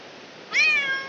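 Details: Village cat giving birth indoors: one short bright meow, sudden onset, a rich harmonic stack that rises slightly then fades over half a second, against a quiet room.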